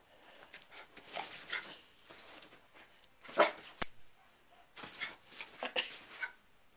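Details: Dog named Sherlock reacting to a hair clip that is opened and closed: scattered barks and whiny yelps over a noisy background, with one loud bark in the middle and a sharp click.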